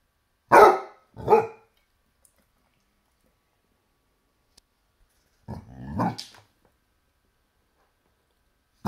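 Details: Basset Hound barking at a toy T-Rex: two loud, gruff barks in quick succession, a pause of about four seconds, then a longer, rougher bark-growl pair.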